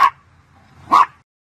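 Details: Pomchi, a Pomeranian Chihuahua mix, giving two sharp barks about a second apart, then silence.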